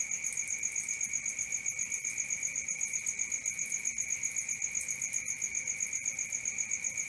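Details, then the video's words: Night cricket chorus: continuous shrill chirps repeated roughly four per second, regular and unbroken, with a thin high shimmer above the main tone and soft low rumble beneath. "Cricket 1 hour for Sleeping & Relaxation, Black Screen, ASMR, Dark Screen Nature Sounds"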